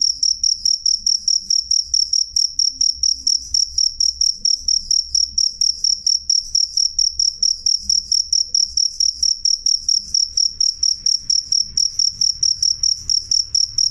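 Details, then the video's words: Cricket (jangkrik) chirping loud and clear, a high, pure, pulsed note repeated steadily about twice a second throughout, with faint low rumble beneath. "suara jangkrik jernih keras"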